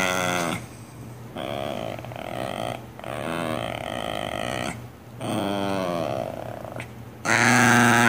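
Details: Grouchy pet dog talking back to its owner, long drawn-out whining grumbles with wavering pitch in several stretches separated by short pauses, a steady low electrical hum underneath, indoors.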